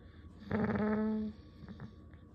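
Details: Cat-like vocalization from a dog indoors: one sustained, tonal, slightly rising moan lasting under a second, followed by a couple of soft short grunts.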